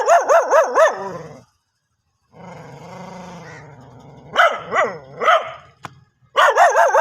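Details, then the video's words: Rapid run of high, ringing dog barks, then a long sustained whine or growl-like tone, followed by spaced barks and a final burst. "dog barking original sound"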